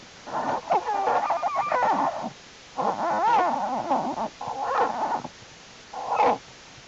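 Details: American black bear cubs of Jewel crawling in the winter den during unusually warm January weather, studied by the Wildlife Research Institute; bursts of wavering, bleating squalls in four groups, some over a second long, with brief quiet gaps.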